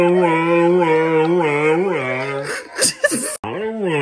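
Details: Chatty female husky talking to her friends on the television: a drawn-out, wavering, moaning voice that rises and falls in smooth undulations for over two seconds, breaks into brief breathy snorts and a sharp cut, then resumes.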